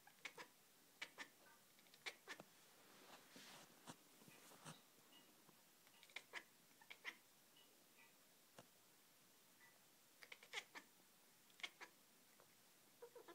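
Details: Beanie, a pet cat, making dolphin-like sounds when she sees lasers, indoors: quick high chirps and clicks in short bursts, with brief squeaky tones between them in a quiet room.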